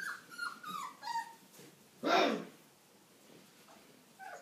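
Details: A-litter Old English Sheepdog pups at five weeks: a few short, dropping whines open, then one sudden harsh, broad yap-like burst, followed by a quiet pause and a faint whine at the close.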